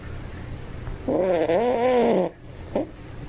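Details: One drawn-out snore from a toy poodle asleep, a wavering, slightly rising-and-falling whistly wheeze lasting just over a second, followed by a brief faint snuffle and quiet room hum.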